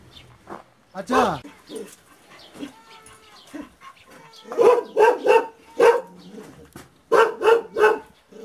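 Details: People talk at first, then an aboriginal Tibetan Mastiff (Do Khyi of Tibet), a guard dog, erupts into two rapid volleys of resonant barks, four then three in quick succession.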